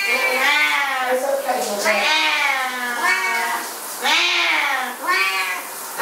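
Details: Two Siamese cats going berserk while their owner showers, yowling in long, wavering, richly harmonic meows that overlap and rise and fall, about one every two seconds, filling a small indoor space.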